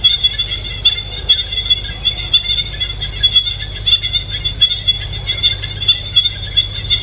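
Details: Countryside insects on a calm day: continuous thin, high whining buzz that pulses gently, with a steady low hum underneath and no other clear callers.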